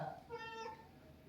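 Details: Pet cat indoors at home, irritated as its owner leaves for the office, gives a single short meow lasting about half a second: a clear, harmonic-rich, slightly rising then falling tone, with faint room noise before and after.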